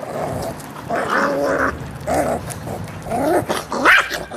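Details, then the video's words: Miniature Pinscher puppies, 8 and 6 weeks old, growling when given meat: short harsh snarling bursts with tonal overtones, about five in four seconds, the last rising into a sharp yip. "Der Wolf im Zwergpinscher"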